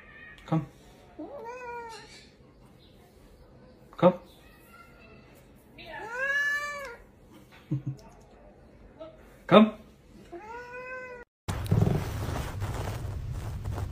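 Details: Pet cat giving short, bent meows at irregular intervals, one longer drawn-out wail in the middle, interspersed with sharp tapping knocks, then a sudden switch to loud broadband noise at the end.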